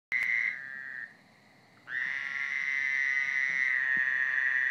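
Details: A Friday-night backyard frog chorus: a steady, high, buzzy trill that drops briefly, then swells back.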